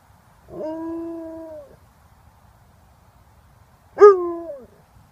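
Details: Alaskan Malamute howling while playing, with a Chewbacca-like voice: a steady, slightly falling tonal howl lasting about a second, a pause, then a shorter, louder howl that starts sharply and slides downward, over a quiet background.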